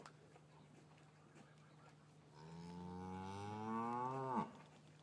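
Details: Cattle in a traditional English farm yard on a winter afternoon, calves separated from their mothers; one long, rising moo swelling over about two seconds, then breaking off abruptly, above a steady low hum and scattered shuffling and knocks.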